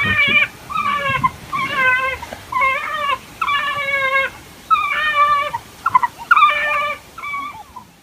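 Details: African wild dog, also called painted dog, giving a series of short, harmonic-rich whining twitters with wavering, warbling notes in bursts about every half second to second, over a faint low rumble in the background.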